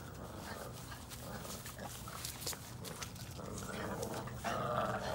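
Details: Red/brown Boston Terrier puppies growl and grumble in low, rough bursts while playing tug of war over a chew ring, growling like little wolves but just having fun.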